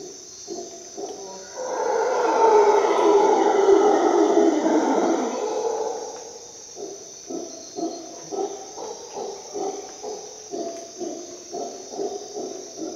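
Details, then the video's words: Dawn in a Costa Rica jungle, a howler monkey's rough roar builds near two seconds and lasts about four, then breaks into a run of short grunting pulses roughly twice a second, with a constant high insect drone behind. "Dawn in Costa Rica jungle - Howler monkey sounds"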